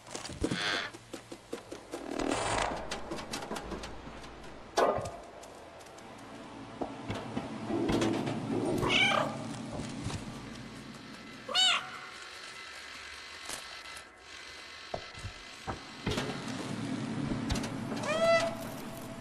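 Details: Cat meowing several times, short bright rising-falling cries spaced a few seconds apart, among bumps, knocks and rustling noises in the background.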